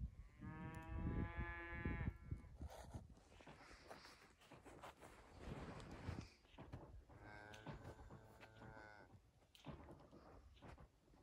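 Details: Highland cattle cows kept outdoors year-round on a farm in Finland, running in snow on 6 January 2021, iPhone 11: two harmonic moos, the first long and strong, the second later and softer, with heavy trampling and broadband rustle.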